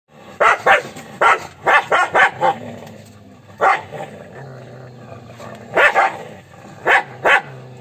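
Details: Angry dog barking loudly in short bursts: a quick double bark, then a rapid run of four or five barks, a lone bark, and further paired barks, with quiet room noise between them.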